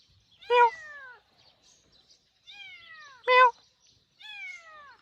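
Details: A kitten heard from home and later found in a rice field cries with four high meows that glide downward. Two are sharp and loud, and two are longer and softer, separated by brief pauses.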